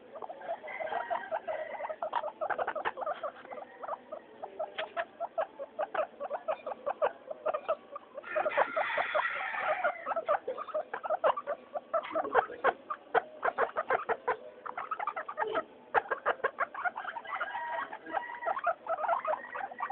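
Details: Noisy floor time for three household guinea pigs named Mayumi, Archie and Miyuki: rapid clicking patter throughout, with bursts of squealing, rising wheeks around the middle and again toward the end.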